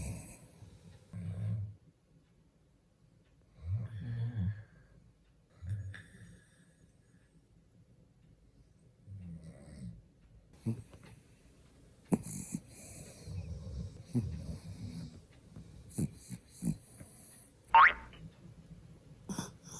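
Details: A sleeping dog named Byeol-i, a late morning sleeper, snores while seeming to smile. Low rumbling snore bursts come about every two to three seconds at first. The second half is quieter, with clicks, rustling and a short high squeak.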